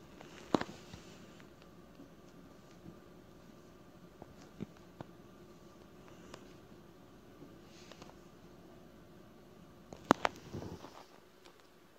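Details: A quiet small room with a low hum, soft rustling and a few sharp taps, and no animal calls.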